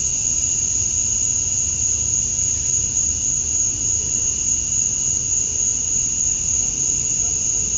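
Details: Male cicadas calling at summer dusk in Georgia, USA, chirping to attract females; a steady, unbroken high-pitched drone with a second fainter, lower whine beneath, constant in loudness throughout, with soft low rumble in the background.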